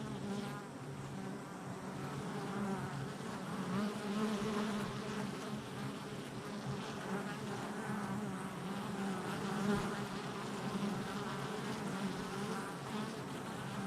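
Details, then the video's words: Honey bees at a hive entrance on July 22nd, 2024, many insects flying in and out; a dense, steady buzzing hum with overlapping wingbeat tones that drift up and down, continuous throughout. "Honey Bee Hive Entrance Activity"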